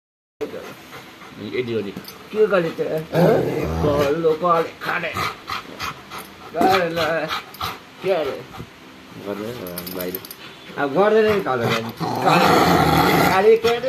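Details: A Rottweiler shown "attacking" its owner gives short barks mixed with wavering, moaning whines while a person talks.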